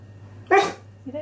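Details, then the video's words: Indoor Siberian Husky arguing with its owner over dinner before being sent outside to the toilet: one loud, short, harmonic yowling vocalization, then a softer rising note, with a steady low hum in the room. "Arguing With My Husky Over His Dinner!"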